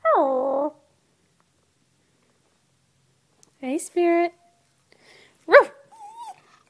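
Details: Chihuahua indoors vocalizing: a short wavering howl, then after a pause a few brief yips and tonal whines, ending with a soft rising whine.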